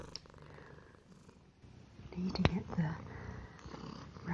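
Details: A domestic cat purring while eating, staying as a house guest indoors: a steady low rumble with fast regular pulses through the first half, then soft spoken voice and a sharp click over the continuing purr.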